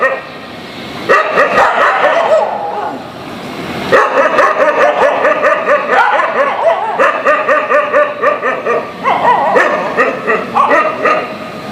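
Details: Dogs barking loudly, unhappy with each other; rapid, roughly regular barks from several dogs overlapping in steady runs after a short quiet start.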